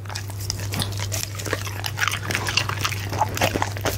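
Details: Punte, a goldendoodle, eats steak and egg for dinner, picked up on a Blue Yeti microphone; dense, rapid clicks and wet smacks of chewing crowd together over a steady low electrical hum.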